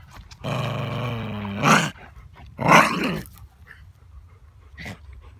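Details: Basenji-Chihuahua mix dog; growl; guarding a prized stick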